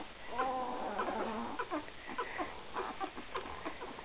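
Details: Newborn Great Dane pups, three days old, from Gracie and Newman's 2012 litter give a wobbling, harmonic whine in the first second, followed by soft squeaks, snuffles and small pattering sounds.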